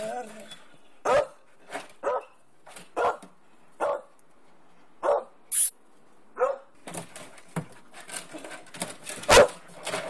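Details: Young wolfdog Nakita pestering Jasmen, an older dog of the household, indoors: short, sharp barks come roughly once a second at first, then a denser, noisier burst of yaps and scuffling toward the end.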